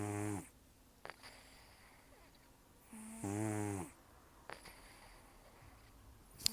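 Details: Sleeping rescue cat Taro, about 10 to 14 years old with almost no teeth, snores heavily: a harsh, vibrating inhale at the start, another in mid-clip and a third beginning at the end, with faint nasal clicks and breaths between.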